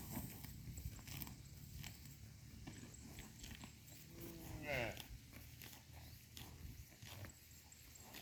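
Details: Cows in a herd eating grass in a pasture: crisp tearing and chewing clicks over a low rumble, with one brief rising harmonic call about midway through.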